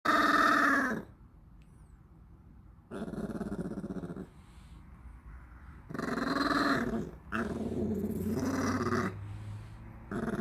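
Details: {'text': 'A 13-year-old dog, impatient while its favourite snack is being made, gives short growly moans of about a second each, rough and harmonic, separated by pauses, with a low steady hum partway through.'}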